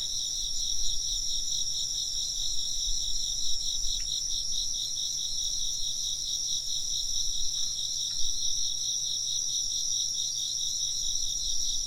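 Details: Insects chirping in a dense, continuous chorus of fast, pulsing high trills layered in two bright bands, with a few soft wind-chime strikes ringing out faintly around four and eight seconds.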